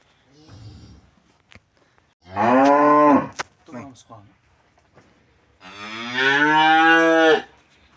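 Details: Cattle during veterinary removal of metal objects from the stomach; two long loud harmonic moos, the second slightly longer, separated by quieter handling noises and a faint short sound at the start.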